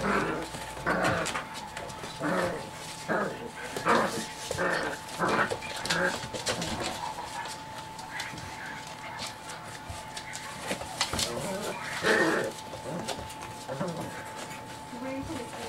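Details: Seven-week-old chocolate Lab puppies in a playful tumble; short yips and whimpers repeat irregularly about once a second, mixed with scuffling and a background person talking, over a constant low electrical hum.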